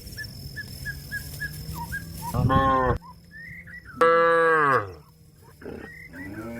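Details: Cow calling a grazing companion back home to the shed, giving three loud moos: a short rough one, a long falling bellow, then a rising start of another, with bird chirps between the calls.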